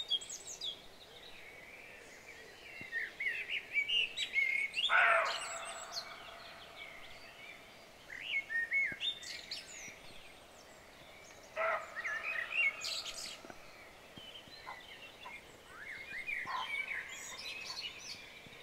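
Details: Frightened roe deer in Rold Skov, Denmark, giving two harsh, short barks about six seconds apart, with woodland birds chirping and twittering throughout.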